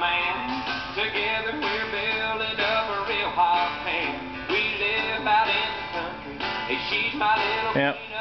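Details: A rock song plays throughout, with male singing, strummed guitar and a steady beat, and no animal voice stands out.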